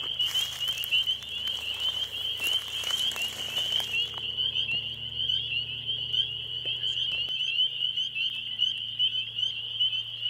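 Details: A dense evening chorus of spring peepers at a marsh in spring, high shrill peeps overlapping into a continuous ringing wall of sound, with chorus frogs and leopard frogs also calling and a barred owl in the background.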